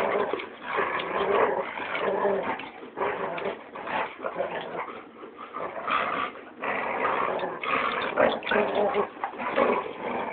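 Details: Playful dogs, among them a Labrador, locked in tug of war and keep away, growling almost without pause in throaty, rumbling waves that swell and fade over ten seconds.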